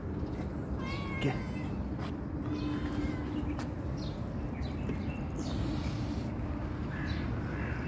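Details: A calico cat responding when called meows briefly near the start, a short harmonic cry, followed by quieter sounds over steady low background rumble and faint outdoor noise.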